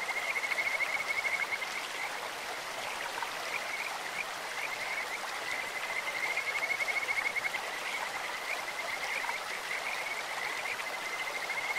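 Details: Stream-dwelling Kajika frogs sing in clear water: bright, high trills near the start, the middle and the end. Their sweet, birdlike voices float above a continuous rush of the current.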